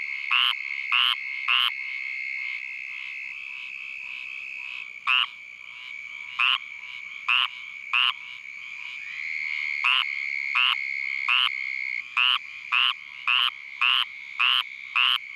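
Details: Squirrel treefrog calling at night in Vero Beach, Florida, while Uranotaenia lowii mosquitoes, drawn to its call, attack it; short harsh raspy notes repeated in bursts, roughly two per second, with a steady background hum between calls.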